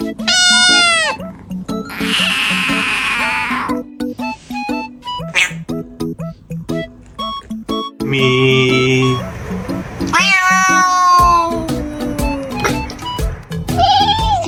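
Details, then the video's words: Domestic cats making strange noises: several loud, drawn-out meows with rising and falling, arched pitch, some strained and wailing, in separate bursts over steady background music with clicks and handling sounds. "Cats are always making strange noises"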